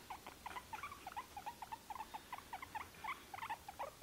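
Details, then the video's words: Tired guinea pig making a steady series of short, bright squeaks, about four per second, each slightly rising and falling, over a quiet background. "Guinea pig tired"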